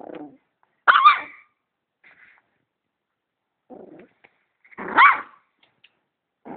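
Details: A dog reacts to a vacuum cleaner with two loud, sharp barks about four seconds apart, separated by low muffled huffs and grumbles.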